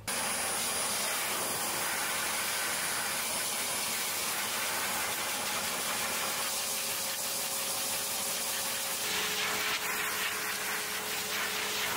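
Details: Steady, loud hissing roar like an idling engine or blower fills the whole stretch, with no animal voice anywhere.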